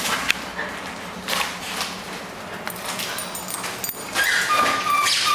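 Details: A Bull Terrier, full of energy and playing at home, gives thin, high whines and squeaky whimpers among bursts of scuffling noise.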